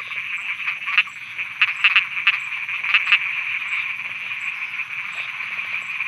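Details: Frogs croaking at night in Thailand: a dense, continuous trilling chorus, with louder, sharper croaks standing out around the first and third seconds, and a faint, steady high ticking repeating in the background.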